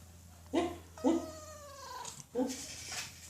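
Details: Domestic cat begging for food with a strange voice: a single long, wavering meow that droops in pitch, between short bursts of a person talking to it.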